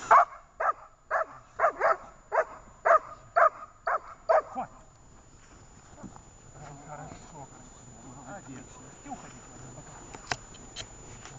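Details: Dzheni the dog at training in Horlivka, 18 August 2019, letting out a run of about nine sharp, evenly spaced barks, roughly two per second, then falling silent under faint background voices and clicks.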